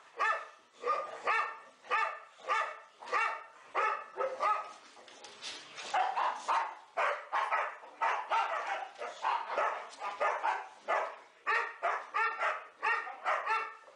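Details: Indoor play session of four Boxers named Elsie, Gertrude, Bowling and Cierra: steady series of throaty, ringing barks roughly every half second, with a messier stretch of overlapping growls and yaps midway.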